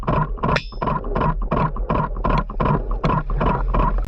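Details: A huge male sperm whale, underwater, gives a steady train of sharp, loud, metallic, banging clicks, nearly three each second, unlike a female's lighter ticking; a clattering camera shutter may be heard.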